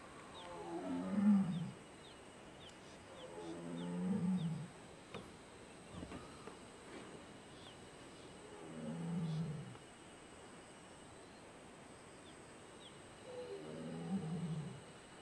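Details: Big adult male tiger in the wild at Jhirna Tourism Zone, Corbett Tiger Reserve, India: four deep, moaning roars with harmonic overtones, spaced about every four seconds, over a steady high insect hum.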